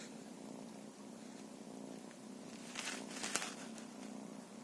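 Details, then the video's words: Feral cat purring, a continuous low vibrating rumble with pulsed breaths, interrupted midway by a few short clicks or scratching sounds. "FERAL CATS"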